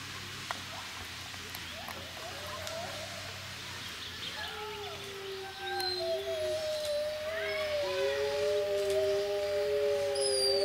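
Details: Wolves at Monde Sauvage wildlife park, with people howling along. Long, smooth, sustained howls start near the middle, with several voices overlapping at slightly different pitches, some gliding down and others holding steady. Faint background murmur throughout.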